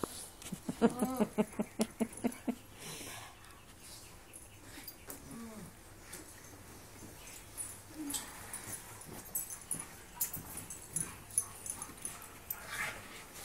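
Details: Husky, wolf hybrid and pug playing together: a burst of rapid, repeated harmonic yips and grumbles early on, then scattered soft whines, thuds and scuffling of movement through the rest.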